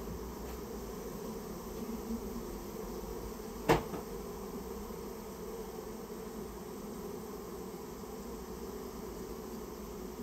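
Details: Japanese honey bee colony nested inside a storehouse and being removed; a steady low droning hum runs throughout, with one sharp knock near the fourth second.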